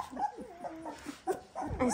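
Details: Eighteen-day-old Dalmatian puppies, recently fed and kept under a heat lamp, let out soft, quiet whining squeaks with short tonal rising and falling contours, several overlapping in quick succession indoors.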